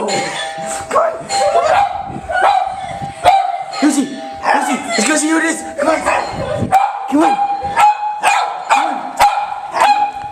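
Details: A household dog barks repeatedly and eagerly in reaction to a recorded doorbell played on a computer. Barks come in uneven runs amid sustained chime tones, and people talk excitedly in the background.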